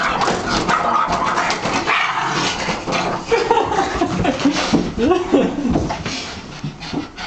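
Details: Boston Terrier barking and making weird noises: a dense, continuous run of yips, whines and odd vocal sounds with little pause, mixed with a person's voice in the room.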